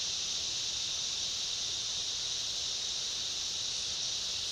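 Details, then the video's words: Cicada chorus with other insects in a summer rainforest: a steady, unbroken high buzzing drone holds at one pitch throughout, with a faint scratchy hiss underneath and no clear pauses or other calls. "Summer rainforest ambience, cicada chorus and other insects"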